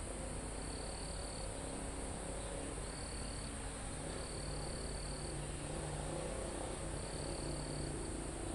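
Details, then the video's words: Crickets and other insects in a forest near a mountain top, recorded live: four high, steady trilled bursts, each about a second long, over a constant shrill insect hiss, with calm wind rumbling through foliage and trees. "Calm Forest in Mountain With Crickets, Insects Sound"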